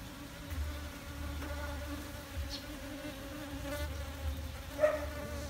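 A honey bee's steady, droning wing buzz hums throughout, with a low rumble of background noise.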